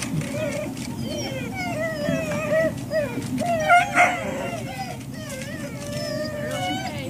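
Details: Service dogs at ServiceDogProject in Ipswich, Massachusetts, USA, waiting for breakfast on October 14, 2017; overlapping high whines rise and fall in quick succession, with clattering and a low background rumble.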